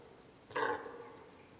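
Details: Single deep, hoarse, nasal call of a deer hind calling her calf, separated from her by a group of wild boar, rising sharply and trailing off within a quarter second in a quiet setting.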